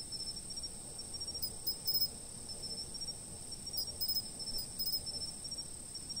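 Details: Chirping insects captured by a fixed camera: a constant piercing high tone, with soft, irregular groups of short chirps roughly every second or two.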